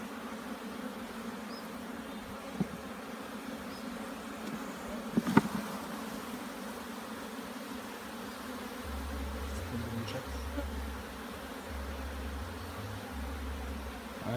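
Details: A continuous low hum of many bees fills a hive inspection in Jamaica, after smoke was used to calm the colony; a few knocks and rattles of handling midway, then a rumbling low noise toward the end.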